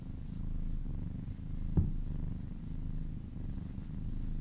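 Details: Domestic cat purring while being massaged, a happy relaxed cat: a steady low rumbling purr with a soft brief click near the middle, quiet room.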